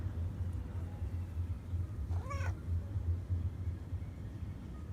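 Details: Calico cat following a person along an embankment, asking for attention and food, gives one short, clear, rising-then-falling meow over a steady low rumble of wind or traffic.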